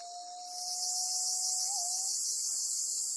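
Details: Amami Oshima, Japan: black cicada trapped by a golden-web spider gives a harsh, sizzling buzz that swells up after half a second and stays steady, while a long, level, siren-like whistle sounds beneath it.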